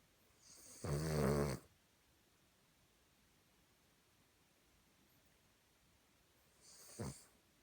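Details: Cavalier King Charles Spaniel asleep and snoring in a human-like way: one loud, buzzing, rough snore near the start, then a long quiet pause and a softer, brief wheezy breath near the end.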